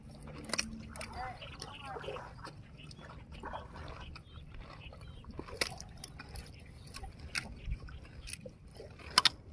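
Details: A swamp buffalo, one with horns unlike the others, eats grass, chewing noisily with crisp crunching clicks scattered over a soft background.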